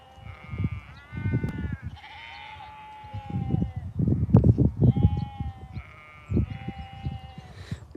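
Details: Sheep bleating during a countryside walk: several wavering, nasal bleats overlapping one another, with a man's voice talking and low footstep thuds throughout.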